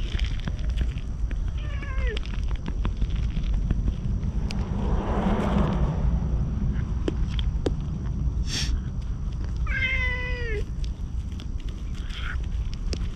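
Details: Stray ginger tabby cat approaching a man outdoors, as if asking for protection, filmed on an action camera; two drawn-out, falling meows about eight seconds apart, half-buried in a loud rumbling wind or traffic roar.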